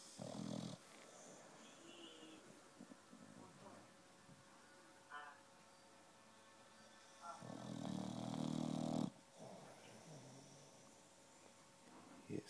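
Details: Wide-awake puppy snoring indoors, with a short rasp at the start, soft snuffly breathing, then a long harsh snore lasting nearly two seconds, followed by faint breaths.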